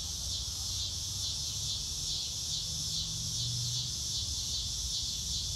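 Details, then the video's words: Crickets outdoors among grass: a dense, high-pitched trilling chorus that pulses faintly about every second, over low background hum and a brief low drone near the middle. "Nature Sounds - Real Time - No Music - Meditation - Crickets"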